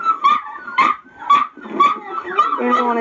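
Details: Eight puppies being noisy, high harmonic yips and whines bursting about every half second, then overlapping into a steady whimpering chorus toward the end.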